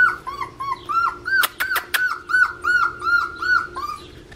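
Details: Male blue merle Australian Shepherd puppy from an Oklahoma breeder, giving rapid repeated high whimpers that dip and rise, roughly three per second, with a few sharp clicks midway.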